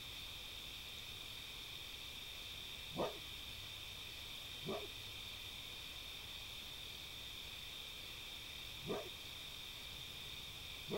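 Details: A red fox, a new visitor, gives sharp, hoarse single barks at irregular intervals at a cat that seems unbothered, over a steady high insect hum.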